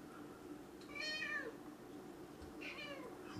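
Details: Domestic cat during a thunderstorm: two harmonic meows about 1.5 seconds apart. The first is longer and slides downward; the second is shorter and falling. A low steady hum runs underneath.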